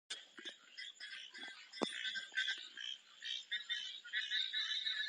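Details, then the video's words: Frogs calling together in a dense, continuous chorus of high, rasping, overlapping croaks. Many voices blend into a steady shimmering buzz, broken by a few sharp clicks. "Epic Sounds. ||Frog||"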